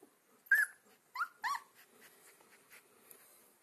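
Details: Alaskan Malamute puppy, two weeks old, one of a litter of four called Sansa, Sorpresa, Spartacus and Swagger. Three brief high squeaks in close sequence, each with a slight upward twist, followed by near silence.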